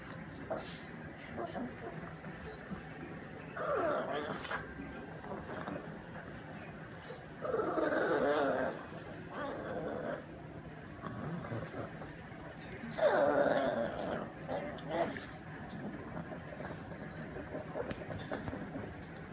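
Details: Bambi, a family pug, whining while she eats: three nasal, wavering whines near 3.5, 8 and 13 seconds, separated by quieter stretches of eating sounds and faint room noise.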